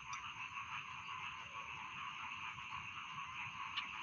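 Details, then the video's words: Dense steady trilling of many rice field frogs, with a couple of sharp clicks near the start and end standing out from the droning chorus. "Bedtime Frog Sound || Suara Katak Sawah Pengantar Tidur"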